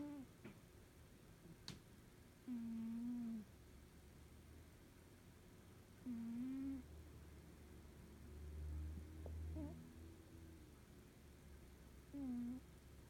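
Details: Sleeping Norwegian Forest Cat snoring contentedly: a steady, nasal whistled tone about a second long on each breath, coming roughly every three to four seconds, with a soft low rumble between breaths in a quiet indoor room.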